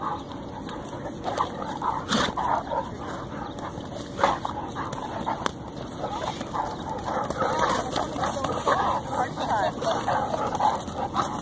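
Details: Two dogs, Dyna the Dane and Sandlot the Mastiff, wrestling playfully at a park. Rough growls, snorts and short barks rise and fall in noisy bursts throughout, with a person speaking in the background.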